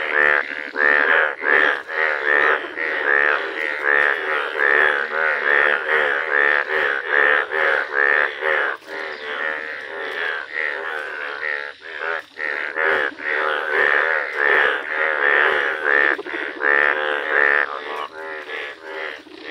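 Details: Chorus of yellow Indian bullfrogs in a village, a dense unbroken wall of loud, nasal, bleating croaks from many overlapping frogs, pulsing steadily for about twenty seconds with hardly a gap.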